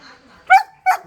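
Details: Pet dog barking while its owner tells it to be quiet; two short, sharp barks about a third of a second apart, each with a strong harmonic stack, after a faint stretch of background voices.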